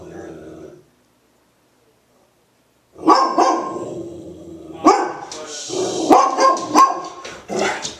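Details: A female Golden Retriever, worked up at people outside, gives a run of deep barks muffled into her blanket, short thick bursts in quick irregular succession.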